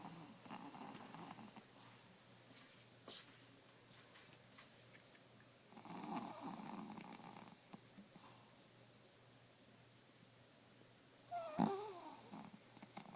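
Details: Asleep indoors, 12-year-old 5 lb Pomeranian Bunnie snores in breathy rasping pulses every few seconds, ending in a sharp, louder wheezing snort near the end.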